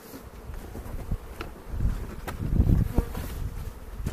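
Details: Honey bees in a foothill bee yard near Cochrane on April 27, during the second hive inspection of the 2018 season while keepers look for queen cells and make a split: a steady droning hum under low rumbling thumps and handling knocks.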